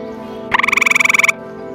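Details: Grey tree frog found on a scout camping trip, deciduous forest near ponds: a single loud, rapid pulsed trill of about seventeen even pulses in under a second, with faint music underneath.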